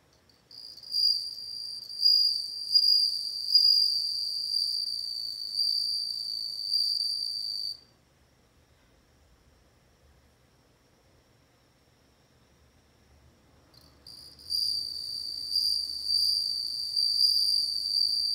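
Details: Bell cricket singing in two long bouts of high, bell-like ringing trill, each about seven seconds, separated by a quiet pause of roughly six seconds.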